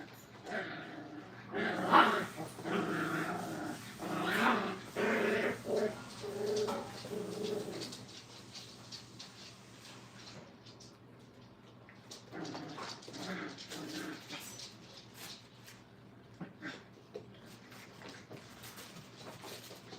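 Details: Young Brittany puppies, five weeks old, learning crate training. Loud bursts of growling and whining fill the first seven seconds, then quieter scattered grumbles and faint yips follow through the remaining stretch.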